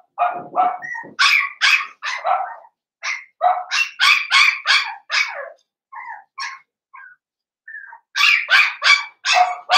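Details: Blenheim Cavalier King Charles Spaniel puppies, seven weeks old, one of a litter of five in a home puppy pen: rapid, shrill yapping barks in quick bursts, several each second, with short pauses and a few softer yips between.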